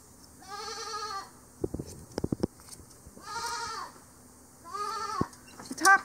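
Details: Angora goat, a yearling female on her third mohair clip, being sheared on a hillside farm in late September; three nasal, quavering bleats at roughly two-second spacing, separated by sharp clicking and clattering shearing sounds.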